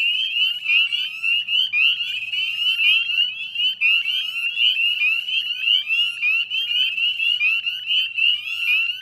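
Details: Many northern spring peepers calling together at a Nova Scotia salt marsh, West Chezzetcook, at dusk on 18 May 2020: high clear rising peeps, densely layered and repeated without break, forming a bright shrill chorus.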